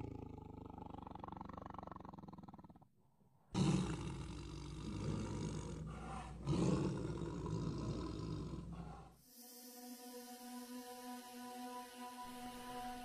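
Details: Bengal tigresses, sisters, fight over territory in Tadoba National Park in the hot dry season, around 45°C. They roar and snarl in deep, rough bursts, followed by music.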